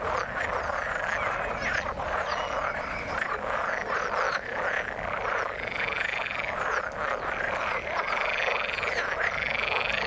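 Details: Dense frog chorus from the water: many overlapping croaks and looping, arched calls, with brighter higher notes rising above the mass in the second half.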